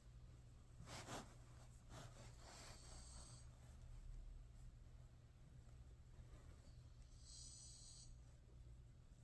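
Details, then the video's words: Yeoui, a drowsy Shiba Inu, snoring with its eyes open: soft, hissing breath sounds in separate bursts, a few seconds apart, over a steady low hum in a quiet room. "여우! 눈뜨고 코곱니다..ㅋㅋ"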